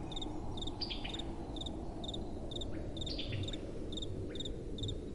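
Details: Crickets calling at night with soft wind: short pulsed chirps repeated about every half second, two callers overlapping, with brief higher sweeping chirps from another insect and a low steady rush of wind underneath.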